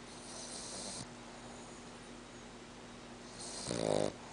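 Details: A sleeping female French Bulldog snoring loudly enough to be heard from the next room: a hissing breath near the start, a quiet pause, then a short, loud, rattling throaty snore near the end.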